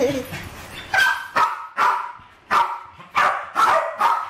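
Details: Two West Highland White Terriers, Alfie and Crystal, roughly seven and eight years old, going after balloons in a kitchen in 2012; about six loud, sharp barks spaced half a second apart, with a voice faintly behind.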